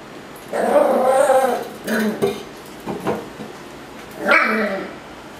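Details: Ruffus the miniature schnauzer, worked up over a Yakult pot, gives a drawn-out growling grumble, then short gruff huffs, ending in a louder sharp bark near the end.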